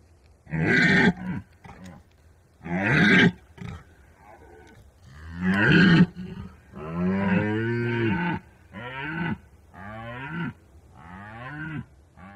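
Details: Red deer during the rut giving deep, harsh, bellowing roars in about seven bursts over twelve seconds, some short and forceful, others drawn out with a rough, groaning quality, with quiet pauses between.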